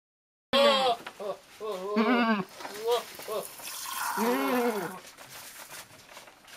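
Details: Goat during milking bleating in a series of short, nasal, quavering calls, one after another, then a longer wavering bleat, with human voices mixed in close by.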